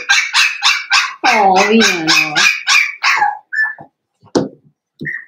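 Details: Blenheim Cavalier King Charles Spaniel puppies, a New Year's litter of five, barking in their pen at home: quick shrill barks repeated several times a second, a human voice talking over the middle, then a few isolated yaps.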